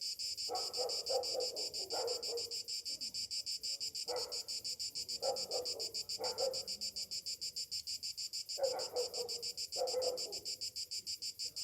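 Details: Morning in summer with cicadas: a continuous shrill, rhythmically throbbing buzz, overlaid by several short, lower, harsh bursts of another sound spaced every few seconds.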